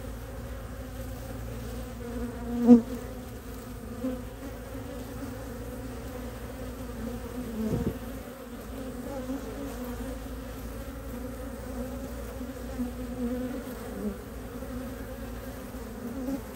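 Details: Western honey bee pollen foragers return to a hive entrance in Ohio in mid-March 2023, early spring, at about 50°F, bringing maple nectar and pollen. Their steady low drone has a faint higher tone, briefly broken by a sharp tap and dull thump.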